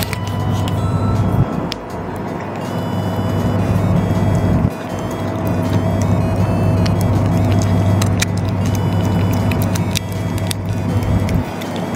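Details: A steady low engine-like hum with faint background music fills the recording, with no animal voice. A couple of brief pauses break the drone.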